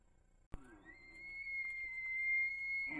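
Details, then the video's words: Rutting bull elk on Idaho public land, recorded by a trail camera: after a sharp click, a clear whistled tone rises and then holds steady and high for about two seconds, ending in a rougher burst. "Bull Elk Bugles"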